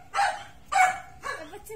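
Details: A Miniature Pinscher and an American Bully meet, and one of them barks: two strong, sharp barks followed by a weaker third, with human speech faintly audible in the background.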